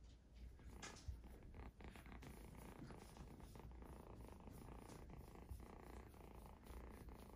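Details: Exotic Shorthair kittens purring indoors: a steady, low, rumbling purr that runs throughout without breaks, with a few soft clicks and light handling noises over it.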